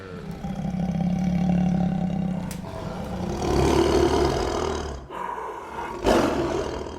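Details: Tiger roaring, an animal able to call across wintry forests, dry grasslands and muddy swamps; a long, deep, rumbling roar with a strong low tone, swelling again midway, then a sharper burst near the end.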